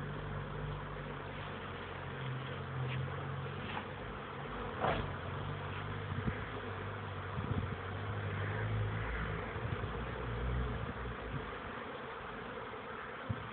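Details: Honey bees, young workers on their orientation flight, recorded 13 May 2013: a low droning hum whose pitch wavers up and down as insects pass, over a steady noisy background with a few sharp knocks.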